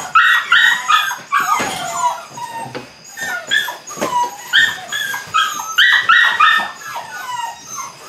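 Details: Litter of 8-week-old Belgian Malinois puppies starting bite work, producing short high-pitched yips and whimpers in quick uneven clusters, some notes stepping down in pitch, repeated several times a second during bursts.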